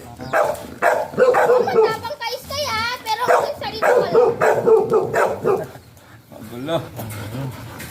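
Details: Golden retriever barking during a stud (mating) session at Sta. Barbara, Pangasinan; short sharp barks come in quick irregular bursts over people talking, with a pause near the end.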